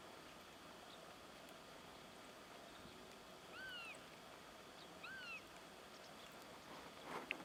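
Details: A raccoon dog (Nyctereutes procyonoides) met in winter gives two faint, high, arched whining calls about a second and a half apart, over steady hiss, with a sharp click at the end.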